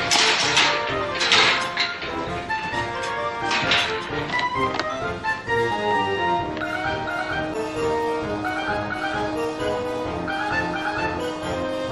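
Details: Loud music with plucked and sustained tones, punctuated by a few thumps and taps.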